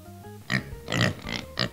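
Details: Pig. A pig grunts several times in quick succession, each oink a short, coarse, snorting burst. Light background music plays at the start and continues faintly beneath the grunts.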